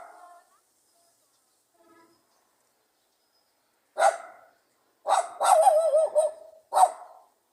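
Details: Pug dog barking in a sharp, lively tone: near-silence for four seconds, then a single bark, a longer wavering, whine-like bark sequence and one final short bark.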